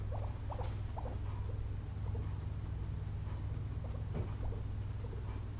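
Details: Two pet guinea pigs napping after a long day of munching frozen blueberries; faint, short squeaky blips come in quick, irregular bursts over a steady low hum.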